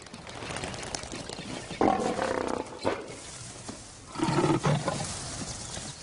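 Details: Lions in the wild, with a father lion not tolerating rebellious cubs: two loud, harsh roaring bursts with rasping harmonics, separated by quieter rustling, over a low background hum.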